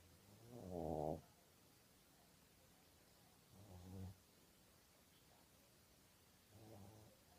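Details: A sleeping Maltese dog snores softly: three low, rumbling breaths spaced about three seconds apart, the first the loudest, with quiet room hush between them.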